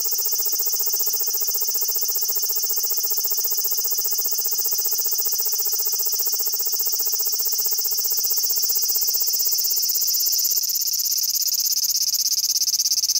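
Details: Large brown cicada holding still as it calls, recorded on a compact digital camera: a long sustained grating whine, even in volume, that shifts slightly higher near the end, with clipping from the shrill pitch.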